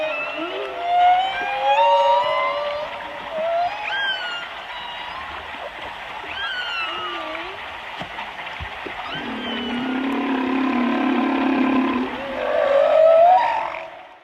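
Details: Humpback whale song from whales visiting warm Colombian Pacific waters in mating rituals: drawn-out tonal moans and rising whoops, rich in overtones, sliding up and down in pitch.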